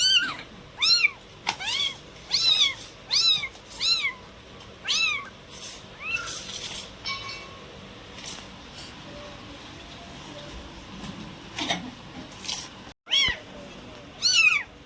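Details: Domestic cats meowing: a run of clear, arching meows, each rising then falling, repeated roughly once a second, then fainter and sparser calls over soft background noise, with a final loud meow.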